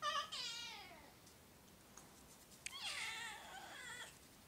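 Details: Oriental or Siamese cat meowing twice indoors, each call a loud, high, harmonic wail that slides downward, separated by a short quiet gap.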